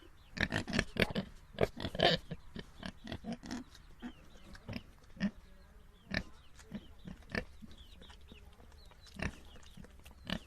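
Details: Pigs on a farm grunting: a rapid cluster of short, rough grunts in the first few seconds, then scattered single grunts every second or so over a low steady background hum.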